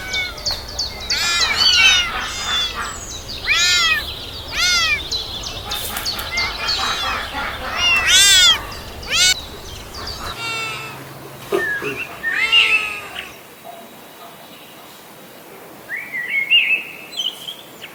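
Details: Several kittens crawling around and calling for their mother's milk, a busy overlapping tangle of high, thin mews and squeaks, thinning out to a lone faint cry in the final seconds.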